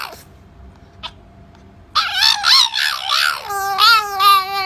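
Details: Pet French Bulldog 'talking' indoors: quiet at first, then a burst of loud, yodelling, up-and-down whining phrases ending in a steadier, warbling moan.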